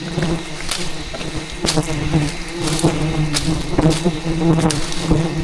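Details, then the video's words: Rainforest wild bees swarming aggressively around their harvested giant hidden hive; an even droning hum sits under scattered sharp clicks and taps, the pitch wobbling slightly as the swarm moves. "ATTACKED by Angry Bees While Harvesting a Giant Hidden Beehive"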